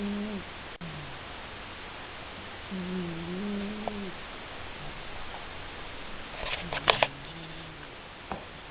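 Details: Seven, a male cat, asleep and snoring. Humming, buzzy snores dip and level off, spaced a few seconds apart against background hiss, and a short burst of clicking rattles just before the last snore.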